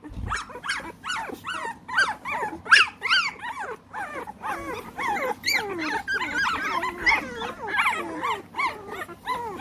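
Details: A litter of American Bully pups aged three weeks, kept in the United Kingdom, crying in a busy chorus of curved, squealing whines and yips, several voices overlapping at a quick, uneven rate.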